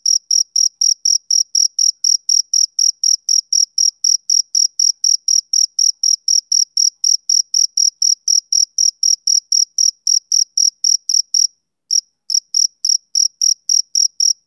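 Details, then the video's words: A male cricket chirps on a summer evening in quick, shrill, regular pulses near four per second, broken once by a short pause of under a second before the rhythm resumes; background otherwise silent. "Cricket Chirping Sound Effect"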